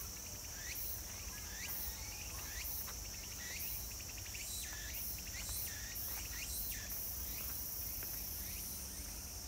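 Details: Cicada at Meiji Jingu shrine, 17 September 2018: a continuous, shrill, high-pitched buzzing drone without pause, with quick sweeping chirps, likely birds, breaking in at irregular intervals over a low background hum.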